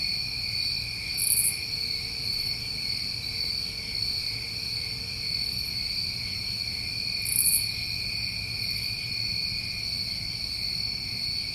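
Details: Steady high-pitched cricket chorus recorded during a New England summer, continuous layered trilling with intermittent very high buzzy bursts, the loudest about six seconds apart, and a faint low hum underneath.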